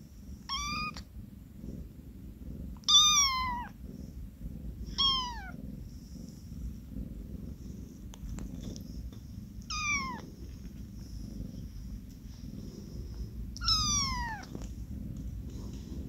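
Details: A newborn tuxedo kitten, whose eyes have just opened and whose mother was a carpark stray now sheltered in an office, gives soft, high meows that slide downward, spaced a few seconds apart.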